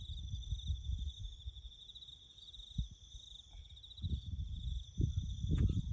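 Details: Continuous shrill pulsed chirring of crickets in rural bush during roadwork, heard over heavy low-pitched rumbling that swells toward the end, with a brief fainter chirp in the middle.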